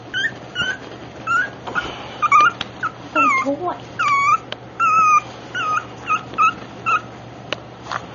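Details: Black rough-coated Brussels Griffon puppy whimpering: a rapid series of thin, high, squeaky whines and short upward-curling yelps, more than one a second, with brief gaps between bursts.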